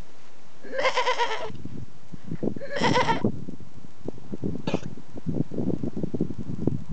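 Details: Domestic goat: two rough, harmonic, bleating calls about two seconds apart, then one short sharp burst, over steady low rumbling and knocking noise.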